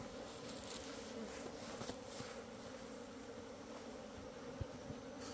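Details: Asian honey bees in a hive opened on 26 September 2023, where the old queen seems to have left with a swarm. A dense, steady hum carries soft scraping and clicking sounds from the comb being dug out.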